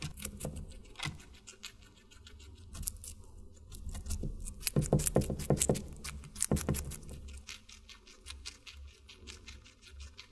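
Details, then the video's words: Guinea pig eating watermelon: rapid, uneven wet crunching and clicking bites, dense around the middle with louder bursts, then settling into softer steady chewing and a low background rumble. "Guinea Pig Eating Water Melon"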